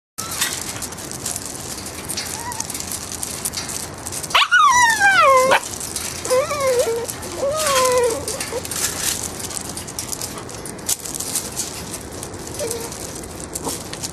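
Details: Eight-week-old English Springer Spaniel puppies of the Puzzle Benny litter, filmed July 25, 2013: a loud high whining yelp sliding downward, then two shorter falling whimpers, over a steady background hiss.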